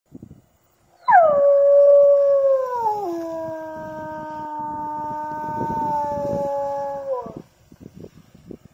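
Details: Gray wolf howl induced during a wolf howling population survey: one long, steady, harmonic tone that starts with a brief high onset, then slides down in steps and holds low before fading after about six seconds. A quiet background before and after.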